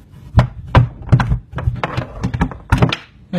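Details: Irregular wooden thumps and knocks in a small indoor room, several sharp hits in quick succession.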